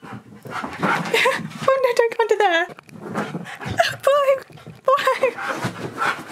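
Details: Key, a male Siberian Husky indoors, talks to get his owner to play: drawn-out, wavering yowls that slide downward, in several bursts between a woman's speech.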